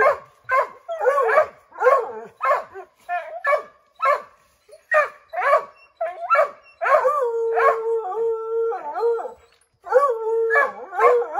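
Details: Redbone Coonhounds treeing a chipmunk in an oak tree, a pack of five dogs baying to scare it down; rapid overlapping barks, then a long steady howl held about two seconds before the barking resumes.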